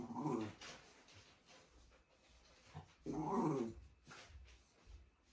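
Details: Shiba Inu Ranmaru, indoors at the company office behind a fence at his room's entrance, greets visitors as a meeting starts; two nasal, harmonic whining bursts about three seconds apart, with soft whimpers between in a small room.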